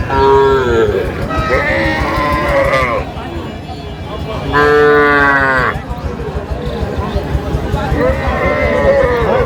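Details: Sahiwal bull calves being sold to a farmer from Gazipur, 8/5/25: loud harmonic moos, one long call near the start, another rising then falling in the middle, a third trailing off at the end, with people talking throughout.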